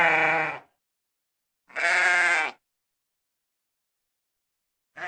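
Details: Sheep bleating twice, each call a harsh, wavering bleat lasting under a second, separated by about a second of silence, with the start of a third call at the end.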